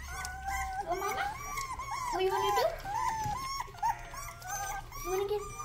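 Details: Rottweiler puppy giving its first barks around the time it tries drinking water: a run of short, high, whiny yelps and rising whimpers in quick succession, with human voices talking in the background indoors.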